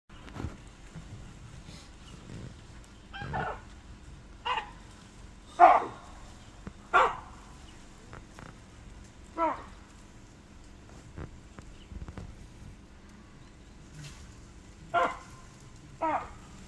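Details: A wild baboon troop perched high in trees, in Kruger, barks alarm calls at young lions investigating below. Short, sharp barks ring out singly every one to two seconds against quiet background noise.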